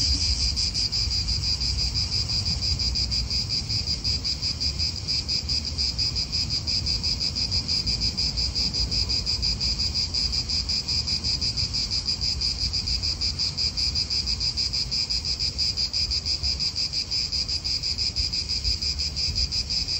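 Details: Italian park cicadas in full chorus: loud, rapidly pulsed high buzzing with a second lower band, unbroken for twenty seconds, only light wind and traffic murmur underneath.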